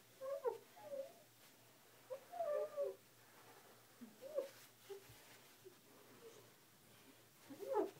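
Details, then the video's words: Husky named Kiba indoors, amused, curious and confused after hearing a squeaky glass cleaner on a bathroom mirror; soft, wavering whines and grumbly vocal bursts come in short clusters with quiet gaps between. "Husky Kiba confused by squeaky glass cleaner"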